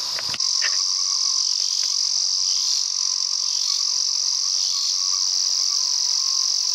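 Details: Male Ezo cicada met during a mountain walk, singing a loud, unbroken high buzz that holds steady throughout, with a brief click at the start and faint lower whining overtones underneath.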